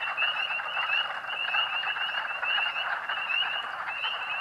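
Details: Spring peepers, thousands calling in early spring in a Pennsylvania state forest, March 2012; bright high peeps rise one after another over an unbroken, pulsing wash of chorus sound.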